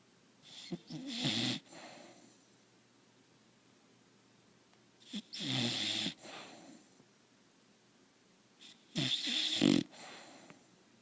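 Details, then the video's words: Sleeping bulldog snoring contentedly, three loud raspy breaths about four seconds apart, each with a rough fluttering rattle and a breathy hiss, quiet between them. "BullDog snoring"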